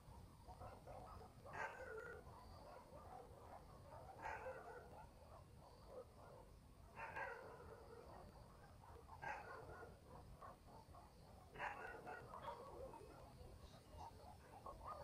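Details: Far-off dogs bark through a rural village night, five soft barks arriving about every two and a half seconds over a low, even background murmur.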